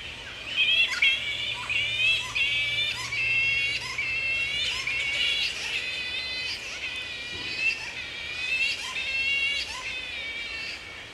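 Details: Wild grey-headed flying foxes at Woodford, Australia, in mid-April at the peak of the breeding season, mating pairs roosting with young about six months old; dense overlapping wavering squawks and harmonic chattering calls, continuous and rising and falling in loudness.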